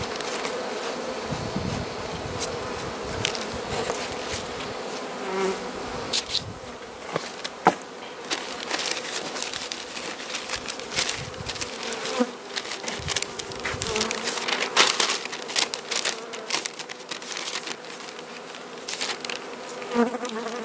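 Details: Carniolan honey bees in their hive during Mountain Camp feeding, Southern Finland, March 16, 2017, +3 °C outside, queen among them; a constant humming drone broken by frequent crisp crackles, clicks and scraping sounds of handling.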